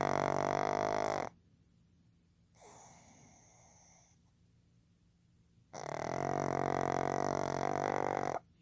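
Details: Asleep indoors, male pug Fukuzo, born 15 July 2020, lets out long droning snores, each lasting nearly three seconds, with a softer wheezy breath between them.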